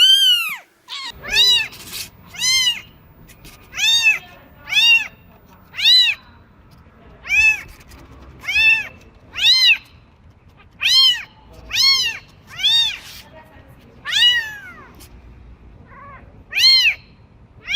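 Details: Newborn kitten giving a rapid series of short, arched mews, roughly one every second, steady and insistent, in a quiet room.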